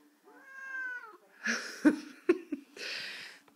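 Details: Male Siamese cat wearing a pilot's jacket, meowing after his owner asks him to say hello to Oma: one drawn-out, wavering harmonic meow lasting under a second, followed by rustling, clicks and the owner's voice indoors.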